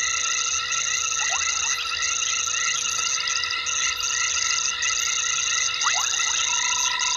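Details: Frogs calling at night, 21:22 on 12/11/19, at Gowrie dam waterhole on Djuma Game Reserve, Sabi Sand, South Africa; dense chorus of steady high ringing tones with short downward-sliding whistles around one and six seconds.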